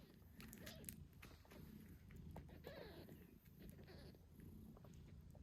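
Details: Tiny British Shorthair kittens, 8 days old, squeak and meow while their mother purrs during nursing; several short rising-falling mews over a low rumbling purr, with handling noises.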